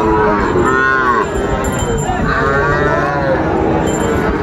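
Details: Sahiwal bull calves at Raniganj cattle market, Chattogram, Bangladesh, on Monday 9 September 2024, during buying. Two drawn-out, harmonic moos rise then fall, about one and a half seconds apart, over a dense crowd murmur.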